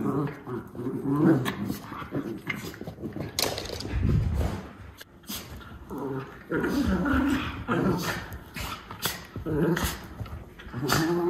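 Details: Two white Miniature Schnauzer puppy brothers in Maine, in April, growl and grumble in rough bursts with a few soft whimpers while play fighting after eating.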